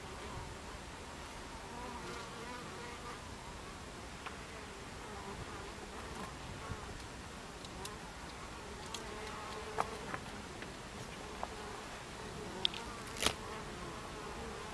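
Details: At the hive entrance, Buckfast bees fill the air with a continuous low buzzing, recorded on 26 July 2013 at 14:30. Scattered sharp clicks and ticks, likely bees bumping against something, punctuate the drone, with a louder knock near the end.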